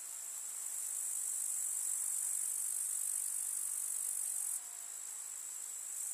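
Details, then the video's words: A chorus of grasshoppers in a summer village meadow, a bright, shrill, continuous high buzz that builds gently, then drops abruptly in loudness near the end. "КУЗНЕЧИКИ. Слушать звуки летнего луга"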